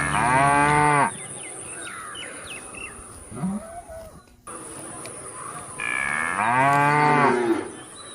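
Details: Cow giving two loud moos, a short one at the start and a longer drawn-out one later, with faint chirping and scattered background sounds between them and a constant thin high whine.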